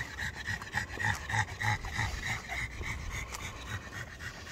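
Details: Black pug and Boston Terrier brothers on a late-night walk in hot, humid weather, panting in quick, steady huffs several times a second, over a low background hum.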